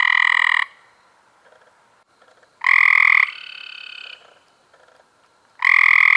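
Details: Cope's gray treefrogs recorded in May 2016: loud, harsh buzzy trills lasting about half a second to a second, with several frogs calling in turn and a quieter trill overlapping between them.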